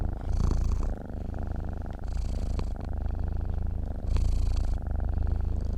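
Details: Close, steady purring of a sleeping cat: a dense low rumble with three soft whooshing breaths, gentle loudness swells following each inhale and exhale.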